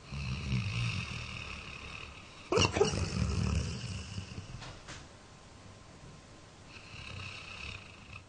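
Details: Lasse, a 13-year-old Labrador Retriever, dreams and snores in his sleep, October 2009. Rumbling low snores repeat unevenly, broken midway by a sudden loud snort-like burst, then fading breaths.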